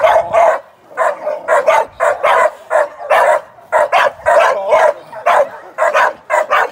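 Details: During sporting-dog training, a young American Staffordshire Terrier barks in dense, rough volleys. Barks often come in doubled pairs and run nearly continuously, with only short gaps.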